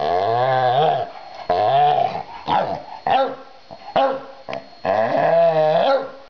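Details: A pet dog named Oliver vocalizes his feelings about his new busy bee toy: a string of harmonic, moaning growl-whines that rise and fall, broken into about six bursts with brief pauses, plus short yip-like notes in between.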